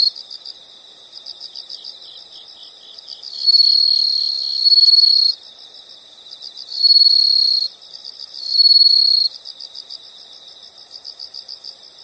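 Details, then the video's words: Insects calling in nature: fast, high, steady chirps underlie three loud bursts of shrill trilling, the first about two seconds long, the next two briefer and close together. "the sound of insects"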